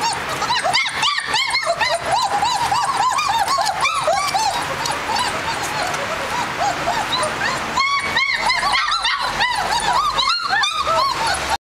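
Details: Litter of seven registered German Shepherd puppies, six males and one female, born 10 May 2011 in Colombia, yipping and whimpering together in a dense, overlapping chorus of short high arched cries, pausing briefly midway before resuming.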